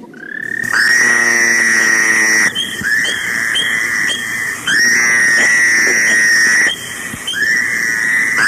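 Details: Fowler's toads, Rhode Island amphibians, give harsh, nasal, high-pitched waaah calls that buzz for about two seconds each and sound like crying.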